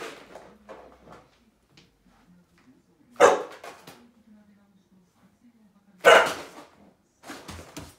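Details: Akita dog making a very long 'itadakimasu' vocalisation before eating: a low, steady, drawn-out moaning whine lasting several seconds, broken by two sharp, loud bark-like bursts and a final short outburst.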